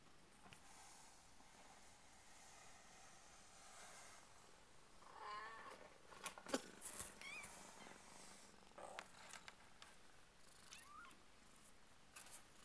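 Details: Two-week-old Burmese kittens of Purrdy's litter: quiet background, then several thin, bending mews around the middle and near the end, mixed with clicks, rustles and shuffling.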